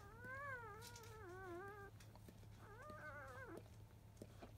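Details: Five-day-old field-type Labrador Retriever puppies indoors just after 1 pm, quiet after nursing, born to Biscuit, a 2017 JFA Grand Champion. Two drawn-out wavering whines with rich harmonics, the second rising then dropping, over faint shuffling clicks and a steady low hum.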